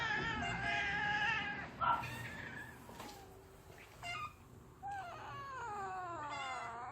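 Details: Yard cats being offered pouch food, with drawn-out harmonic meows early on and again near the end, some falling in pitch, over a steady low hum and faint rustling.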